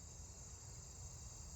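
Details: At night in a yard, a round-tipped conehead gives a steady, unbroken high-pitched buzz over a low background rumble.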